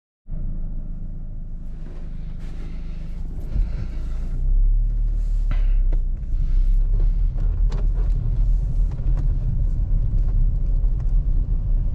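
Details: Steady low engine rumble of a vehicle throughout, with scattered clicks and knocks and no animal voice heard.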